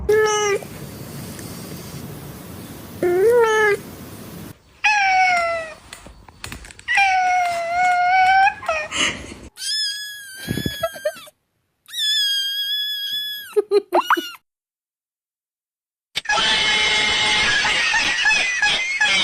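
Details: Cat giving a string of harmonic meows in separate cuts: some low and drawn out, others high and thin with rising and falling pitch, and one loud, noisy burst at the end.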